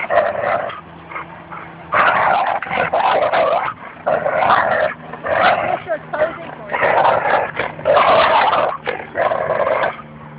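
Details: Tug-of-war at Fernandina Beach Dog Park: Goose, a Labrador Retriever, growls and snarls against Espy, a Bouvier des Flandres; loud growling bursts lasting one to two seconds repeat with pauses, and people talk softly underneath.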